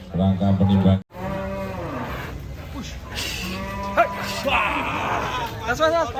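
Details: Cattle at a cattle contest in Kediri, Indonesia, during the weighing of the champions: a deep, steady moo lasting about a second opens the clip, followed by an announcer speaking over music and crowd noise.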